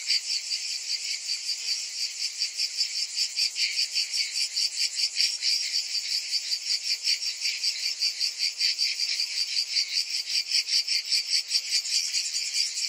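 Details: Summertime cicada chorus, a bright, harsh, high drone beating in quick regular pulses about two and a half per second, loud and unbroken from start to finish.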